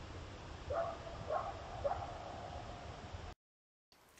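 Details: Coyotes (Canis latrans) give three short, hoarse barks in quick succession over a steady background hiss, recorded on a trail camera that also caught a cougar.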